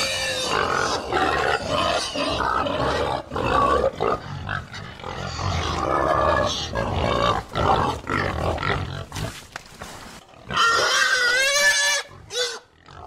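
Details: A herd of pigs grunting and screaming loudly: rough, broadband grunts crowd the first half, then broken bursts and a pair of harmonic, wavering squeals near the end, with short quiet gaps.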